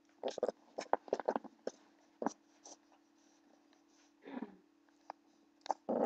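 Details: Blue American Pit Bull Terrier puppy play-fighting with a person: short, harsh bursts of growling and snarling, clustered in the first second and a half, with a lower rasping grumble near the end. A steady electrical hum runs underneath.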